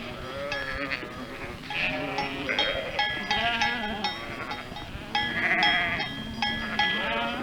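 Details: Bell-wearing sheep flock: a chorus of quavering bleats, some rising and falling, mixed with steady ringing bell tones, busy and continuous.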